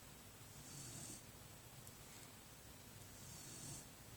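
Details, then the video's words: Brynn, a pet dog, snoring while sleeping warm under her blanket indoors; two soft, breathy snore swells about three seconds apart over a low, steady room hum. "Snoring Dog"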